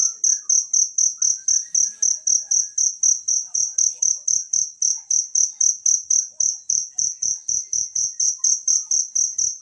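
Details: Natural cricket chirping, used as training material for songbirds: shrill, high pulses repeat steadily, nearly four each second, without a break. A faint short whistle and soft low knocks sit underneath.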